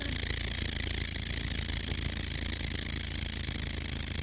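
A grasshopper gives a steady, high, hissing buzz that runs unbroken through the night.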